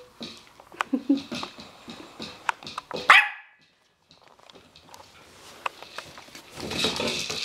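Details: Chocolate and white Havanese puppies playing together indoors, raised in a home; scattered short yips and scuffling sounds, a sharp louder yelp near the middle, then a brief quiet before more rustling and clatter.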